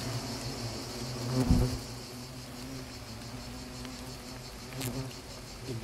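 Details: Asian hornets (Vespa velutina) in a small attack in Nîmes, France, give a low, steady droning wing buzz, with a sharp knock partway through.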